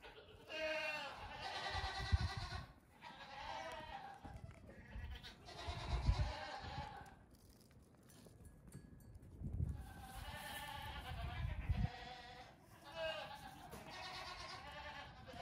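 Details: Goat kids close to two weeks old, hopping about during a short morning playtime on a farm; repeated wavering, strongly harmonic bleats come in bursts every few seconds, with brief quieter gaps and low thuds of movement.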